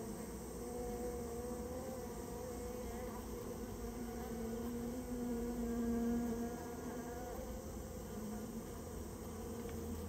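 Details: A removed Japanese honey bee colony from inside a storehouse gives a continuous layered drone, the pitch wavering a little and the volume swelling around the sixth second.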